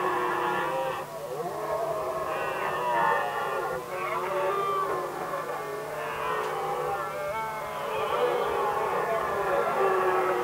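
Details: Red deer stags in Västmanland, Sweden, 2010, squaring off over the hinds. A dense chorus of overlapping harmonic roars rises and falls in waves, several stags calling at once with no quiet gaps.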